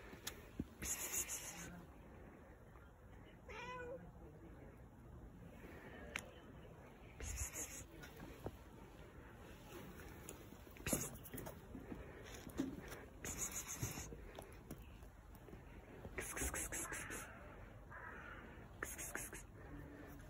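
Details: Fluffy stray cat that is fed voluntarily, jumping onto a person's lap and showing affection; a short, faint meow early on, with rustling, handling clicks and soft movement noises throughout.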